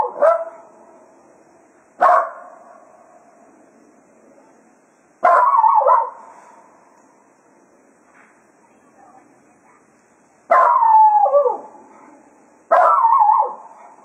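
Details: Cato, a Jack Russell Terrier, serenades and bids the hounds farewell as a day of foxhunting ends at Quail Roost: five loud, harmonic yelping howls, each with a lingering tonal tail, spaced two to five seconds apart.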